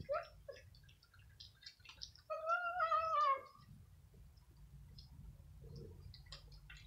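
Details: Several domestic kittens and cats, five in all, squabble indoors over dry kibble in the evening; a long wavering meow with a harmonic stack sounds mid-clip, framed by shorter chirpy mews and faint crunching.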